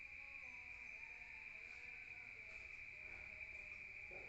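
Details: Crickets trilling at night in a rural area, heard from indoors: a short stretch of steady high-pitched chirring with dim lower tonal notes behind it.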